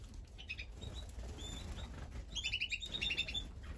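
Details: A guinea pig at a food "buffet" gives short, high, chirping squeaks in quick runs, over low rumbling noise.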